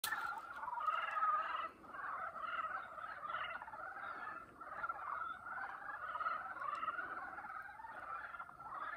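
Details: Boreal digging frog (Kaloula borealis) chorus at Chungnyeongsan, Jangseong, Korea, dated 2021.2: a dense chorus of nasal, bleating calls overlapping without a break.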